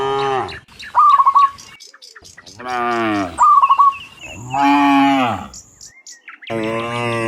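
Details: Several cows mooing in the morning on the way from the field back to the pen, loud, deep and drawn-out, overlapping with quick, bright, trilled bird calls between the moos.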